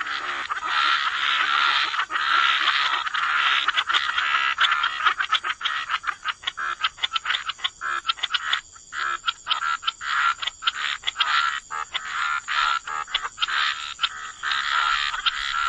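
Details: Wetland chorus of croaking frogs, a dense wall of overlapping rasping croaks that later breaks into choppy, irregular bursts with brief gaps, over a constant thin high-pitched drone.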